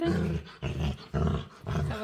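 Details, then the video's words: A playful female dog begging for attention utters three short, low, rumbling groans in quick succession, each about half a second long, with faint music in the background. "Cutest Dog Begs To Play | Adorable Dog And Human Compilation Video | Playful Dog Makes Weird Noises"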